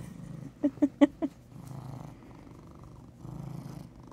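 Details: A big, chunky male brown tabby cat purrs in a low, steady rumble that swells and fades with each breath.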